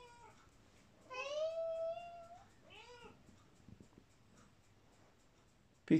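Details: Female British Shorthair cat replying indoors to her owners calling her: one rising-then-level meow, then a shorter softer arched one, with quiet room background and a sharp knock at the end.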